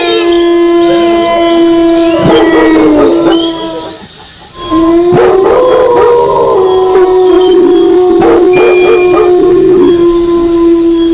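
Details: Wolves howling together with barking dogs: a loud chorus of sustained howls and yipping barks, a brief lull near the middle, then rising howls resume over steady tones.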